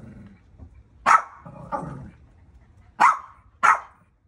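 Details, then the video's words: Barking from dogs seeing fire for the first time: a sharp bark, a lower grumbling growl, then two more loud barks close together near the end; a person says "come on" just before. "Dogs see fire for first time"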